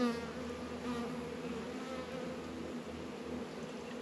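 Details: Warm February day, 72°F, northern Kentucky: honey bees busy at their hive give a dense, steady droning buzz, faint higher wavering tones early on, the hum fading slightly at the very start.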